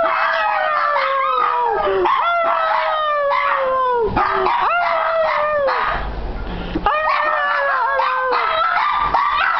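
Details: Two Shih Tzus "sing", howling in long wavering tones that slide up and down, broken by short yips.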